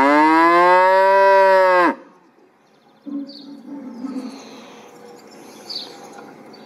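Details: Cow mooing: one loud, harmonic-rich moo lasting about two seconds with a slight pitch arch, cut off abruptly, followed by quiet background with a faint low rumble and a few soft chirps.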